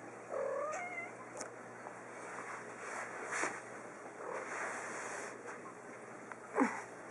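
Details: Small three-year-old female pet cat playing fetch indoors gives a short, rising, nasal meow near the start, followed by quiet room hiss, a few light taps and a brief squeak at the end.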